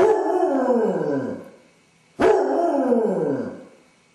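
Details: Basset Hound suffering separation anxiety while alone, howling for an hour; two prolonged baying howls with a falling, wavering tone, the second beginning sharply after a short pause.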